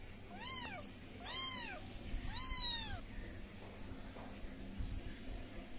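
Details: British Shorthair kittens calling with three high, arched mews about a second apart, each rising and falling in pitch, followed by quiet indoor background.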